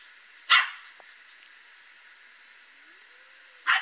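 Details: Loose dog at a fence on a morning roam, confronting the cat Katie; two isolated sharp barks about three seconds apart, a faint low rising tone between them, steady hiss behind.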